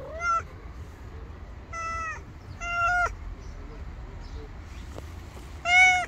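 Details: Stray street cat, wary of a person yet staying near in hope of food, gives four loud, harmonic-rich meows, each rising then falling slightly, spaced about two seconds apart over a low background hum.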